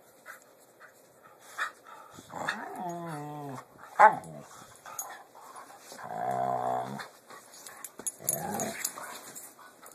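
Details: Pit bulls making weird noises while playing, filmed on an Android phone indoors: sliding, wavering growls and groans in bursts, a sharp yip near the middle, then a long moaning growl, with quiet gaps between.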